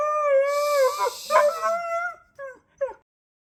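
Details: Siberian husky howling at the pink moon: a steady, long, clear tone that wavers and breaks mid-howl, then two short howled notes trailing off after a silence.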